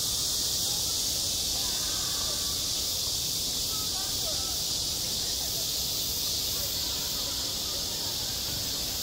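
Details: Cicadas sing in midsummer on a school playground, a dense, steady, hissing buzz high in pitch that runs unbroken through the whole stretch, with faint, distant voice-like sounds low underneath.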